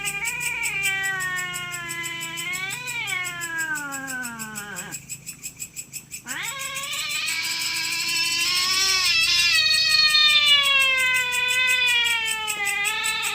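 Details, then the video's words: Cats fighting over their territory during the night: prolonged, sliding yowls rise and sink, pause briefly near five seconds, then return louder and higher-pitched, with regular high chirping throughout. "Kucing Gelut Rebutan Wilayah - SUARA KUCING GELUT"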